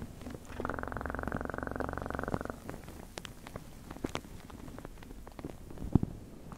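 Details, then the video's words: Domestic cat purring in a close ASMR recording: a steady, low, rapidly pulsing rumble lasting about two seconds, followed by scattered soft clicks and tapping noises. "Best PURRING sounds"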